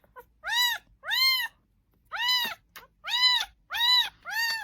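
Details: Domestic cat at 12:30 at night giving a run of loud, harmonic meows, each rising then falling, about six calls in under five seconds with short silent gaps between them.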